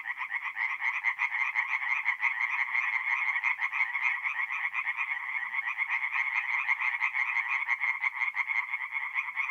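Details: Several tree frogs calling together after dark at a woodland pond, north-east Italy, April: loud, rapid grating croaks stacked densely and overlapping into an unbroken pulsing chorus.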